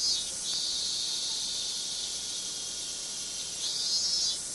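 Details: Cicada chorus in Minami-Magome, Tokyo, Japan, August 1991: a continuous shrill buzz that swells at the start and again near the end, with a faint thin tone beneath.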